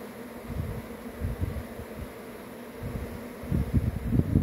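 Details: Swarming honey bees give a low, throbbing hum that pulses unevenly and swells louder near the end as bees pass close, over a soft background hiss.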